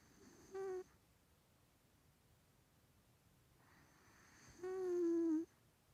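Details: Three-year-old male Maine Coon with a bad nose, kept as a pet in London, snoring: a short nasal whistle, then after a pause a longer breath carrying a steady, slightly falling whistled tone through the blocked nose.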